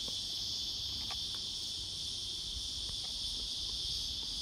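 A cicada gives a steady, high, hissing buzz that drones on without a break.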